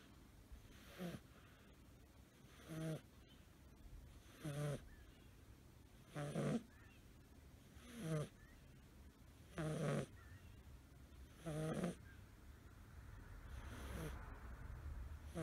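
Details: A curled, sleeping male American Shorthair kitten named Suzu, five months old and blue tabby, snores softly. Eight low, breathy snores recur about every 1.7 seconds as broadband background noise swells toward the end.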